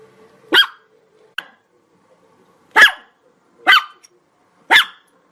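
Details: Chihuahua barking in a quick series: four sharp, high-pitched yaps, the last three coming about a second apart, with a brief faint click-like yip after the first.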